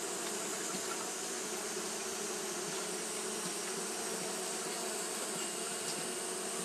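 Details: Steady colony drone from Japanese honey bees fanning on a hot day, a smooth, unbroken buzz with several low humming layers and a steady airy hiss, loudness flat throughout.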